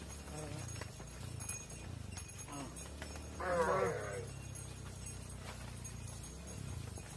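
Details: Cattle at a barn, mothers going inside while calves remain outside; low moos underneath and one louder, brighter bawl of about half a second near the middle, amid hoof steps and faint voices.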